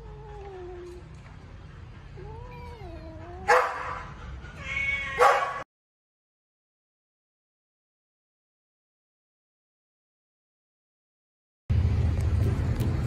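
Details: Rescued baby kittens fighting each other over food give thin, wavering meows that climb and dip. Two louder harsh bursts of squalling follow. A long silence comes next, then rumbling noise returns at the end.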